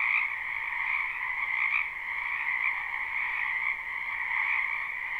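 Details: Wetland frogs in spring, many voices croaking at once in a live recording; a steady trilled hum in two pitch bands, with a few louder calls rising above the mass roughly once a second.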